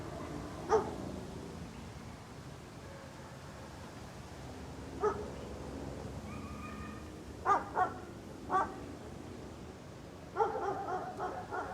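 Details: A dog barks outdoors: isolated barks spaced several seconds apart, then a quicker run of barks near the end; a faint steady tonal whine sounds briefly in the middle, over quiet ambient noise.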